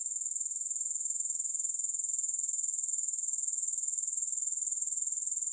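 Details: An unbroken, shrill grasshopper trill, very high and evenly throbbing at about four beats per second throughout, with no other sounds.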